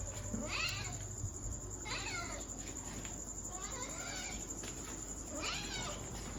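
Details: Softer, slightly muffled kitten meows, about four in a row, each rising briefly and then falling away, heard over a continuous background hiss.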